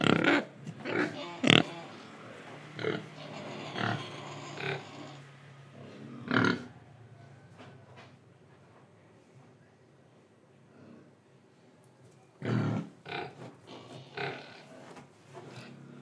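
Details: An Indonesian pig grunts and snorts in short rough bursts, louder at the start and again near the end, with quieter breathing and chewing-like noises between.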